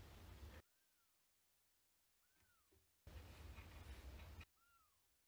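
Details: Older cat Hime enters the space of new month-old gray kitten Lara from Paraguay; thin arched mews, rising then dropping, sound three times between loud bands of hiss-like noise.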